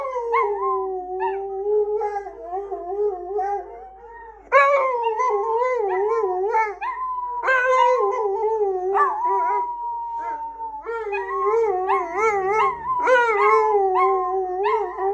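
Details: Several pet dogs howling together, long wavering tonal howls overlapping in a loose chorus, with short yips breaking in and a steady, held howl near the middle.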